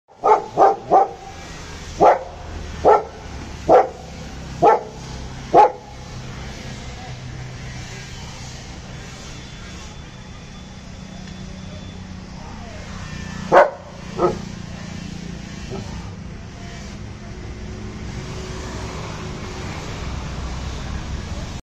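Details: Aggressive German Shepherd barking: a burst of deep, loud barks, about seven in quick succession over six seconds, then a long pause with background hum and faint voices, and two more barks later on.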